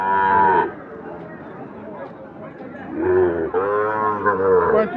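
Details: Sahiwal bull calves for sale at Ambari haat, a twice-weekly livestock market held Fridays and Mondays; a short low moo opens, then a longer drawn-out moo with rich harmonics, over crowd chatter and background music.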